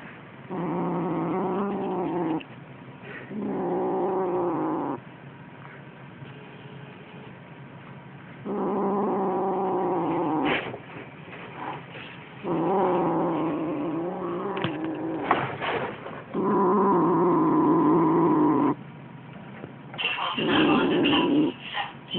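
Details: Siamese kitten, just 6 weeks old, growling steadily as it kills a toy mouse for its first time; sustained low, throaty growls in blocks of two to three seconds, broken by brief pauses and a few sharp knocks.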